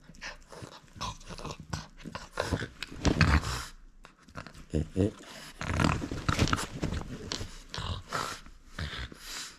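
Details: French Bulldog at play, refusing to give up its toy: low rumbling growls and snorting grunts come in uneven bursts, loudest near the middle, with scuffling and a person's voice indoors.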